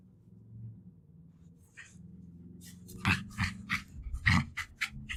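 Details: A two-year-old female Jack Russell Terrier growls low and steady, then breaks into sharp snarling bursts, with breathing, licking and sniffing, while fighting over her favourite toys.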